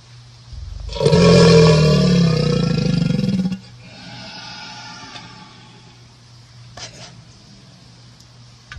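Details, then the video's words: Crocodile roar: a loud, deep, rumbling bellow lasting about two and a half seconds, with strong low tones and layered harmonics, followed by a quieter, fading rumble and a brief knock near the end. "اللي ماسمع صوت التمساح هذا صوته"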